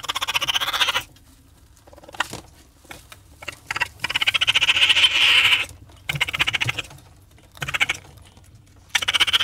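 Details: Raccoon vocalising with a tense, whiny trill, fast pulsed and high, in bursts of one to two seconds, with quieter scratchy sounds between the louder bouts.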